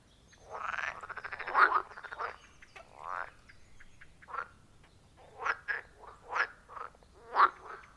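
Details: Wild frogs calling around a forest pond, captured on iPhone 14 Pro with a Shure MV88+ mic: overlapping short croaks and rasping pulsed calls from several animals, bursts clustering irregularly, loudest near the middle and end, quiet background.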